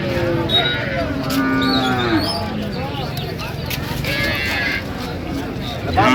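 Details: Cows with calves moo at the Raniganj cattle market in Dinajpur on 27 November 2025; a long low lowing call with stacked harmonics runs through much of the clip, over a busy background of people talking and bargaining.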